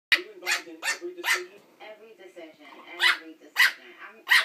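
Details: A Pekingese puppy barks sharply and rapidly while fighting its own reflection in a mirror.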